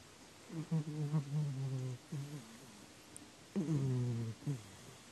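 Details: Domestic cat snoring, filmed 4 January 2019: deep, droning voiced snores with a buzzy layered tone, one drawn out over about a second and a half, a short snort, then another long snore after a quiet pause.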